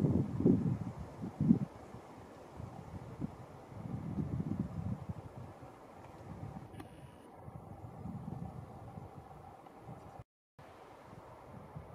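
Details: Gusty wind buffeting the microphone with low rumbling, brief rustling and a short dropout, with no animal calls audible.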